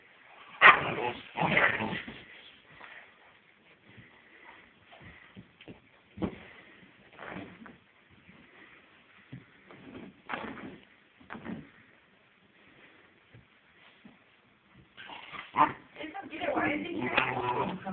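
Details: A 3-month-old German Shepherd puppy meeting an older Red Bloodhound at home, four days after arriving; scattered high whimpers and yips with a sharp burst at the start and a busier stretch near the end, between quieter gaps.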